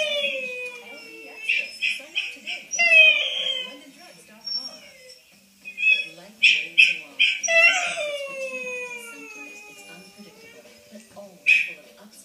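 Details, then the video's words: Wylee, a female whippet, howling indoors on first hearing herself played back: long falling wails sliding downward in pitch, interrupted by short high yelps, with a pause midway and a final sharp yelp near the end. "Wylee the whippet hears her self for the first time on YouTube"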